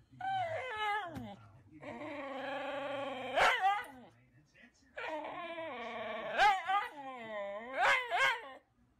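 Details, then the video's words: Husky 'talking' in a humorous pet compilation: repeated yodelling, whining phrases of bending pitch separated by short pauses, each sliding up and down, with sharp squeaky peaks and faint low murmurs between. "Funny Husky Videos Talking"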